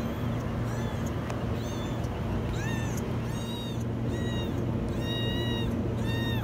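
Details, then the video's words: Kitten stuck in a washing machine meowing very high: about eight shrill, arched, harmonic-rich meows in quick succession, some nearly a second apart, over a steady low mechanical hum. "Kitten stuck in the washing machine meow very high"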